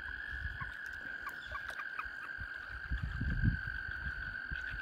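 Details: Surrounding a kayak, a mass of mating frogs sustains one steady, shrill trilling drone, with faint short chirps scattered above it and soft low splashing underneath.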